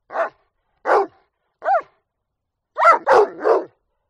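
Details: Rottweiler barking: six loud, sharp barks, three spaced about three-quarters of a second apart, then a pause and three rapid barks in a tight burst, against a silent background.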